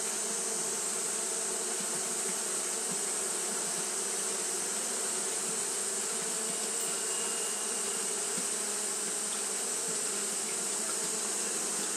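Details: On a hot day Japanese honey bees keep fanning nonstop, giving a smooth, unvarying drone with steady low humming bands and a bright hiss above, constant for the whole stretch.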